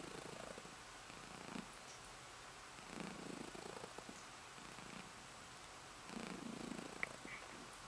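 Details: Female house cat purring as she drifts off to sleep, steady quiet vibrating rumble in rhythmic in-and-out pulses, a faint click near the end.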